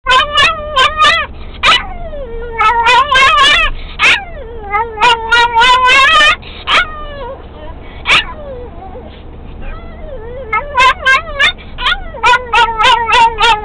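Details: Pet dog in a Volkswagen Beetle singing with excitement as the car gets going, a rapid run of yips and yodelling whines, sliding pitches in bursts, likened to a turkey's gobbling, with steady low engine rumble beneath.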